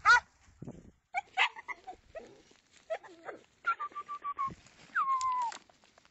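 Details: Segugio Italiano hound giving a few uneven barks and yelps, then a held tonal whine and a final drawn-out, sliding howl-like note.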